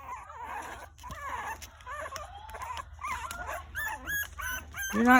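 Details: Several Shichonpoo puppies, two white, two tan and one tan and white, aged two to six weeks, crying for their mother while trying to climb out of the whelping box; overlapping wavering high whines and squeals, rising sharply at the end, with a woman talking to them.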